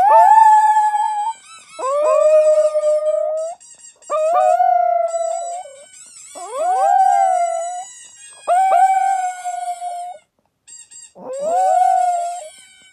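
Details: Jack Russell Chihuahua mix, also called a Jack Chi, howling in six long drawn-out notes, each rising sharply then holding a steady wavering tone, separated by short pauses across about thirteen seconds.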